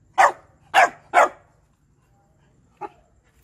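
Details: Shiba Inu begging for food with three loud, harsh barks in quick succession, each roughly half a second apart, then a pause and one faint short bark near the end; little else heard.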